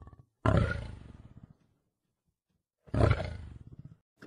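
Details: Lion roaring: two deep, heavy roars about two and a half seconds apart, each opening with a loud burst and fading into a train of low, throbbing grunts, with silence between them.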